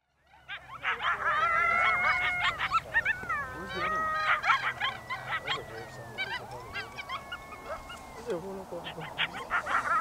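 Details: Several coyotes in Yellowstone National Park howl and yip together in a wavering chorus of sliding, overlapping notes.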